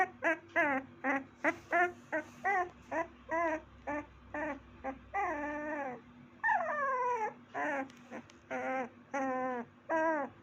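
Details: Puppy giving short, high, wavering yelps in quick succession, roughly two per second. These are followed by longer drawn-out whines that bend downward, then more yips. A steady low electrical hum runs underneath.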